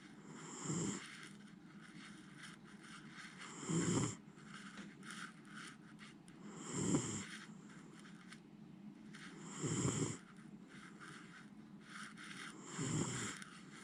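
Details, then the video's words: Miniature Schnauzer named Jiji, a pet dog fast asleep and not stirring, snores loudly in deep rhythmic rasping breaths roughly every three seconds, five snores with a quiet hiss between them. "ミニチュアシュナウザー(ジィジィ）、 立派ないびきで爆睡！"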